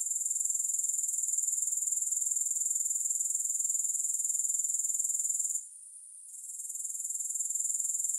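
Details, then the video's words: Rapid, evenly pulsed high-pitched chirring of grasshoppers with no music, steady for over five seconds, then a brief silence before the trill resumes. "Grass Hopper Sounds"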